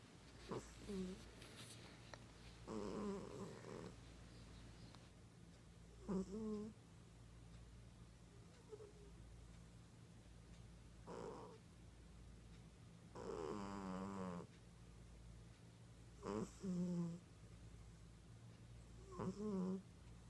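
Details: Sleeping female cat snoring loudly: irregular rasping snores roughly every three seconds, some with a wavering buzzy quality, over a steady low hum, with occasional clicks.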